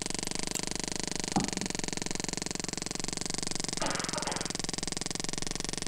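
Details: A sperm whale gives a rapid, steady train of sharp echolocation clicks while feeding.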